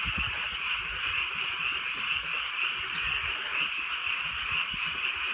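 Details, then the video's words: Countryside frog chorus on a night of light rain, many frogs croaking at once in a continuous pulsing wash of sound, with faint raindrop ticks and occasional low knocks. "개구리 소리"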